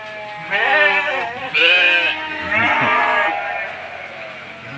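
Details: Hungry goat bleating loudly for food during heavy rain, three drawn-out harmonic bleats each about a second long, with a man speaking Malay just before and after, complaining he cannot go out to cut grass.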